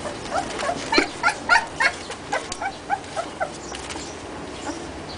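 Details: White German Shepherd puppies tumbling together, giving a string of short, high yaps and yips about every quarter second, fading into quieter whimpers toward the end.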